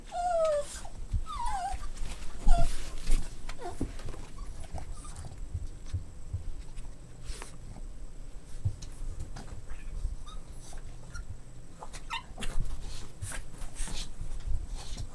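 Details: Boston Terrier puppies at play give a few high, sliding whines and squeaky yelps in the first three seconds. Softer thuds and rustling handling noises follow.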